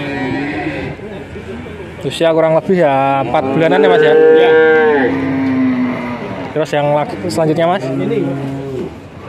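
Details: Male calves among a group of nineteen bought at Grabag, Magelang Regency, Indonesia, give long, drawn-out moos that slide downward and overlap around the middle, then shorter bawls near the end, with faint human chatter behind.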